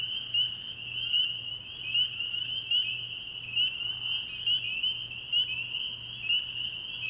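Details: Early-year frog pond after dark, where massed spring peepers keep up a high, piercing trill, with closer single upslurred peeps popping out in an uneven rhythm about once a second.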